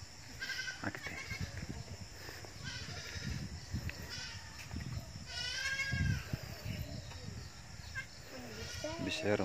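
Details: Goats in a small, newly growing herd bleat a few times, including one strong quavering cry near the middle, mixed with people talking and low rumbling noise.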